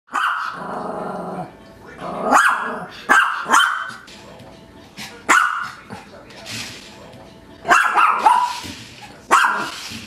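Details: A Maltese puppy playing with a toy spider gives sharp, high-pitched yaps in short bursts, with a drawn-out whiny growl at the start.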